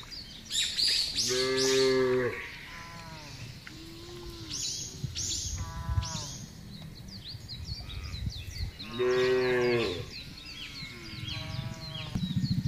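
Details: Large herd of cattle driven across a broad grassland pasture, mooing repeatedly in overlapping harmonic bellows of one to two seconds, with clicks, rustling and faint bird chirps behind.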